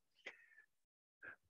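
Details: A male common noctule at a tree roost in west Scotland in August sings short, sharp, downward-sliding notes, calling females dispersing from nursery roosts to his treehole to form a harem.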